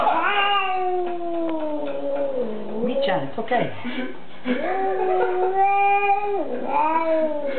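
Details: Female cat left with a sitter, upset by a visitor and later hissing and crying behind a door: drawn-out moaning yowls, sliding down then rising again, two long cries with a short scuffle between, indoors.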